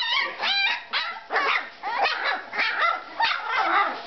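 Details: Three-week-old pups Jiva and Jericho let out short squeaky yelps and barks, about two each second, some with clear rising tones, in a close, loud recording.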